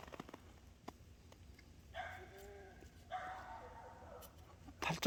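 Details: Week-old Boer goat kids frolicking outdoors on a cold morning with unmelted snow; two long, level, nasal bleats follow one another, set between light clicks and a sharp knock at the end.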